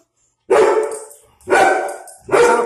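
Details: Barking at a strange dog outside from a German Shepherd and a Pitbull, Sasha being territorial with a guarding instinct; three strong barks about one second apart, each trailing off.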